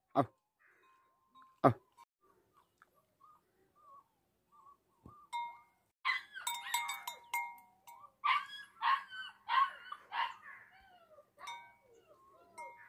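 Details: Tibetan Mastiff, the Bhote Kukur or Himalayan sheep dog of Nepal's high mountains, giving a run of whining, yelping calls in the second half. Soft chime-like tones and sharp knocks come first.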